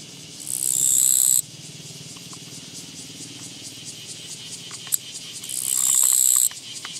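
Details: Japanese katydid met along a walking path on 24 August 2017, giving two harsh, buzzy, high-pitched trills, each about a second long and swelling in loudness, about five seconds apart over quiet background hiss with a few faint clicks.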